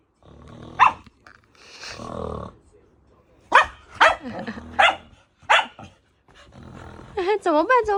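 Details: Native dog reacting to snoring it dislikes: a few sharp barks with a person talking between them, ending in a wavering, whining high voice.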